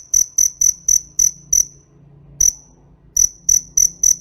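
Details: Piercing high cricket chirps come in evenly spaced pulses, about four a second. They break off into a pause with one lone chirp in the middle, then start again.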